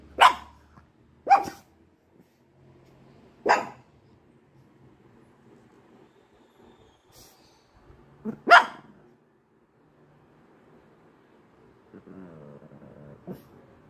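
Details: A white Pekingese gives sharp, high single barks spaced a second or more apart, barking at what its owner jokingly calls a ghost.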